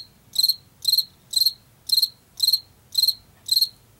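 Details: Field cricket from Washington making bright, high chirps, each of three or four rapid pulses, repeated about every half second against a quiet, faintly rumbling background.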